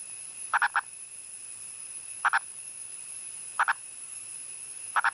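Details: Wild male Indian purple frog calling from above ground in India's Western Ghats: short clucking notes in tight pairs or triplets, bursts repeated roughly every one and a half seconds, over a steady high-pitched background whine.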